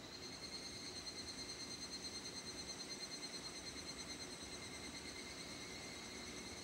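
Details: An evening cicada (higurashi, Japanese cicada) gives a steady, ringing metallic trill that pulses a little over twice a second.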